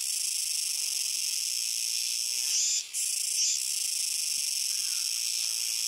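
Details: Kuroiwa's cicadas call noisily along the Akina River, Japan, on 10 September 2021, in a loud, unbroken chorus: a dense, high-pitched buzzing wall of sound with only a brief lull midway.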